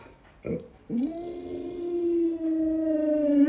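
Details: Alaskan Malamute named Luoluo howling indoors while its owner lies sick in bed: a short yelp, then a long steady mid-pitched howl that rises at the start and holds level for over two seconds, rich in overtones, in a small quiet room.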